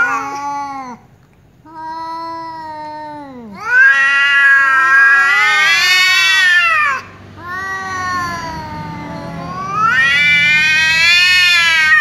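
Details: Angry tom cat and a ginger cat that keeps meowing trade loud calls; two shorter falling meows, then intense, harsh, high wavering yowls rising and falling, separated by brief pauses, in a quiet setting.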